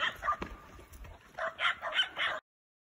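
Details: Hunting dog pursuing wild boar, giving a quick series of short, sharp, high-pitched yelping barks in uneven bursts for about two seconds before the sound cuts off abruptly.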